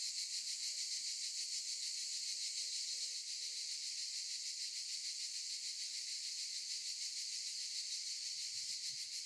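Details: In olive trees, cicadas keep up a loud, high, rasping drone with a rapid, steady pulse. Faint low thumps come near the end.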